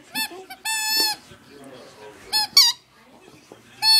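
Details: A coyote giving high, whining squeals and short yips, some held as thin steady tones, others sliding, separated by quiet breathy gaps in a small room.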